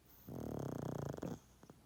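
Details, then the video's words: A 12.5-year-old pug snoring loudly in its sleep, one sustained rattling, vibrating low snore of about a second, then a couple of faint soft breaths. "Pug play, sleep 😴 & snoring loud"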